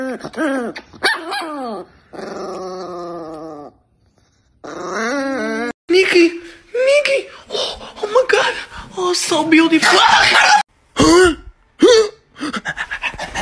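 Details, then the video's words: Angry Chihuahua named Niki growling and barking indoors, with harmonic whining yelps early, then gruff irregular barks and growls mixed with a person talking nearby. "The most Angry Chihuahua in the world"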